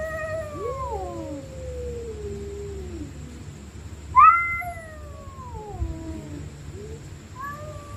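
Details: Stray cats fighting at night, screaming: a long descending moaning yowl, then an abrupt higher screech that slides downward, with shorter wavering cries trailing after, low hum underneath.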